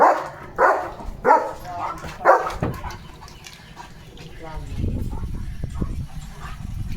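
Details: Leo, a pet German Shepherd in a hyper, excited mood, running about and barking. Three sharp, loud barks come in the first two and a half seconds, then Marathi speech and rustling fill the rest.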